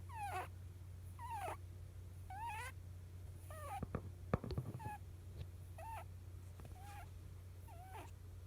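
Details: Snoring sounds of a rabbit during sleep, described as rare: curling squeaky chirps repeated about once a second, broken midway by a brief burst of rustling and clicks, all over a low constant hum.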